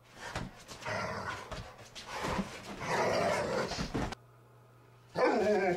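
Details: Two Rhodesian Ridgebacks, Zahara and Weya, playing rough indoors in the morning: throaty growls and harsh barks in irregular bursts, a brief quiet gap, then a loud harmonic yelp-like vocalization.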